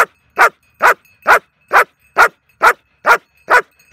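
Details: Young female German Shepherd working the hold and bark exercise in training, giving loud, evenly spaced barks roughly every half second, nine in a row with no other sounds.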